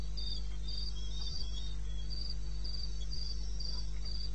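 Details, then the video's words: Crickets chirping in eastern Botswana wilderness in the small hours, 2:30 a.m., 21 May '16: a shrill, steady pulse train, around four chirps a second, over a persistent low hum with an occasional faint thump. "1 Hour cricket sound"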